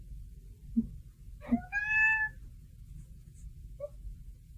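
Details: A domestic cat named Moose, indoors late at night, answers its owner with a single drawn-out meow that rises and then falls; soft thuds come before it, with a quiet room around it.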